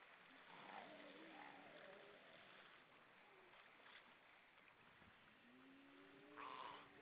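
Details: Many grey seals on rocks at Vilsandi, Estonia, recorded 22 October 2012 around 18:38, give long, wavering moans and wails that overlap against steady surf and wind.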